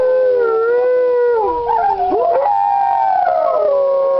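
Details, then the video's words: Several Alaskan Malamutes howling together at a kennel: long, smooth, sustained tones that slide and waver, one voice falling and dipping then rising again, overlapping harmonies layered across the chorus, no other sounds. "malamutes howling"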